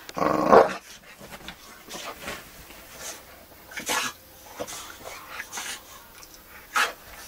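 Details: A Boxer named Magnus, romping crazily on a bed or sofa, opens with a harsh throaty growl, then rustling, thumps and scattered short snorting bursts.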